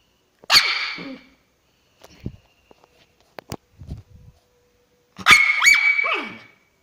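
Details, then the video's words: Angry female pet dog: a sharp bark-like yelp, then scattered soft clicks and thumps, then a second harsh yelp sliding into a wavering whine. "My doggy's funny sound when she is infuriated."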